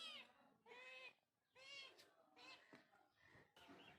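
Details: Cat giving a series of high, clear, harmonic meows, each about half a second long, repeated roughly every second; the first three are strongest, followed by fainter, shorter mews and a brief click near the end.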